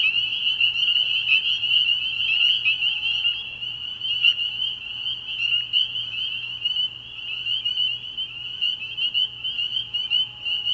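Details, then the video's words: A chorus of spring peepers on an early-spring night at a frog pond: piercing high peeps pulse and overlap without pause, the nearer callers rising and falling in loudness. "Relaxing Tree Frog Sounds"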